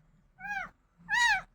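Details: Crying domestic cat gives two drawn-out meows, the second louder and more strained, each arching up and down in pitch; a woman talks in Bengali about taking it up to the sunny rooftop.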